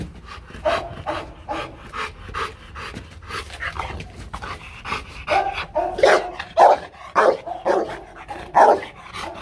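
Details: Rottweiler Marvin being trained, for fun, to bark on command: a string of short, punchy barks at an uneven pace amid breathy bursts, with the barks growing louder and sharper in the second half.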